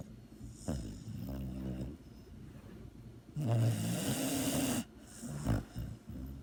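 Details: Dog asleep and snoring: deep, rattling breaths, with a longer, louder snore rising slightly in pitch mid-clip, then a short snort.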